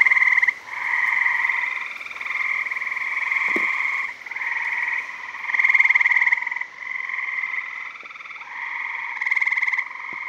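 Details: Gray tree frogs at a Maryland backyard pool in summer 2017, gathered to mate: unbroken, loud, buzzy trills from multiple overlapping males, each lasting one to two seconds, rising and falling in volume.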